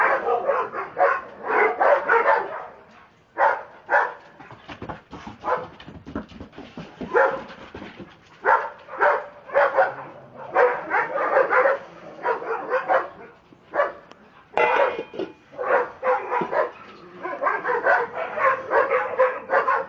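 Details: Two excited Dobermann dogs, Rocco and Bridget, acting crazy with bursts of loud, gruff barking, rapid clusters separated by a few quieter gaps throughout.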